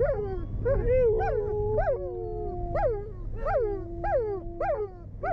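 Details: A Siberian husky, triggered by a passing siren in a city neighbourhood, howls in short, rising-and-falling yodels, repeated about twice a second over a steady wail, alongside German shepherds.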